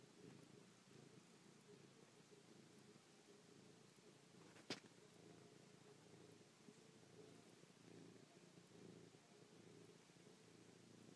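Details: Affectionate house cat Chloe purring up close, pawing and licking a person's face after a night asleep on their back; an even, continuous low purr with one brief sharp tap near the middle.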